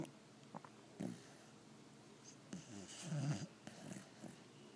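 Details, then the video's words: Doja, a pit bull, asleep: soft snuffling snorts and short throaty breaths, with one longer low rattling snore partway through. "Pitbull snores very loud"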